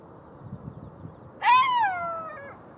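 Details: Single drawn-out golden jackal wail that rises briefly, then slides steadily downward over about a second, preceded by soft rustling.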